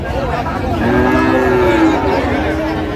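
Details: Friesian or cross-breed bull calf at Raniganj cattle market in Dinajpur, Bangladesh, on 14 August 2025. It gives a single drawn-out, low harmonic moo lasting about a second, while men talk and bargain over prices and market chatter fills the background.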